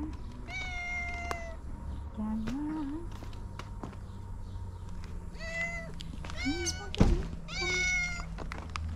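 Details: Orange cat talking to its owner, giving a series of drawn-out, slightly falling meows with a few short, rising chirpy calls between them; a person speaks softly, with a single thud near the end.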